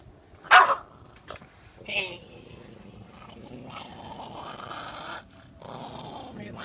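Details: Chihuahua, agitated after a bath, gives a sharp bark, then rough growling and snarling noises. People's voices are mixed in throughout.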